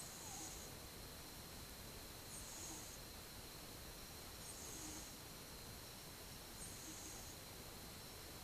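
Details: Soft, rhythmic breathing and light snoring from a sleeping one-year-old house cat, filmed 8 October 2015; gentle breathy puffs return roughly every two seconds against constant quiet room hiss.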